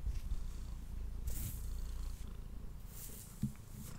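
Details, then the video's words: Male pet cat purring while eating indoors, recorded on a Blue Yeti microphone: a steady low rumbling purr pulsing rapidly throughout, broken by a few brief crackling bursts of chewing or rustling. "Cat Purring and Eating Sounds"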